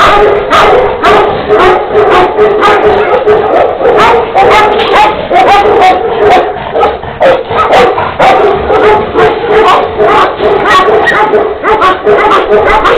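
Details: Barking from Tibetan Mastiffs, a black mother and her black-and-tan offspring of Xiang-He bloodline, kept by a breeder; continuous loud barks repeated roughly twice per second for the whole stretch, heavily clipped and harsh.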